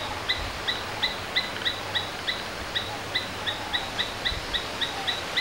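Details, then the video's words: Domestic Asian palm squirrel repeating crisp, high chip notes roughly three or four per second, slightly uneven in spacing, against steady environmental hiss and a faint low hum. "Domestic Squirrels Sounds various versions | Asian Palm Squirrels"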